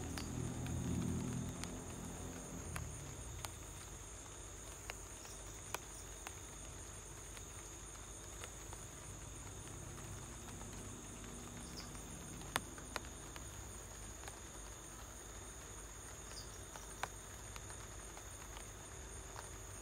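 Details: Continuous shrill cricket trill heard indoors at home amid light rain, steady and unchanging, with occasional sharp drip clicks and a low murmur fading in the opening seconds.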